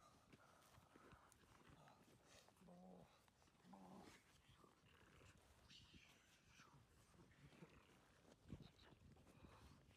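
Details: German Shepherd puppy called Dornan during rag and tug training work, rough low growling over constant scuffling and tugging noise, with two short tonal whine-like notes around three and four seconds.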